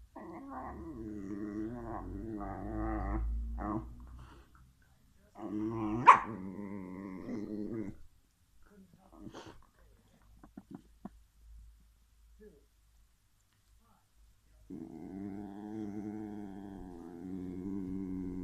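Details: Two whippets fighting over a bone indoors: sustained warbling growls for several seconds, a sharp yip or bark at about six seconds, scattered small sounds during a quiet stretch, then a steady low growl resumes.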